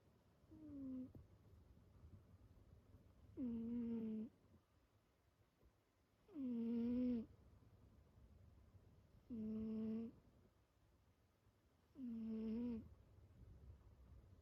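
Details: A sleeping pet cat gives loud, tonal, humming snores, each about a second long with a dipping, whistled start, repeating roughly every two to three seconds against a quiet background.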